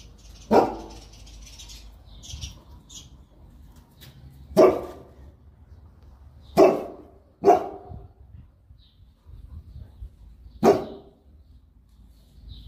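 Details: Boerboel pair (South African Mastiff) in Egypt at play, giving single, sharp, deep barks spaced unevenly: five barks across about ten seconds, with long pauses and low background noise.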